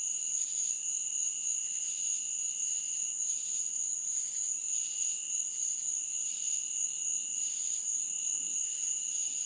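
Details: Insects chirping at night in a meadow: a steady, piercing high ringing layered with a softer, lower continuous tone, and hazy buzzy pulses swelling about every half second to second throughout, with no other sounds.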